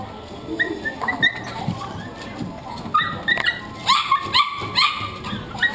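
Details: Welsh Corgi riding in a pet cart, recorded 8 October 2012, giving short high whimpering whines and yips in scattered bursts that cluster toward the end, over steady background hiss and rumble.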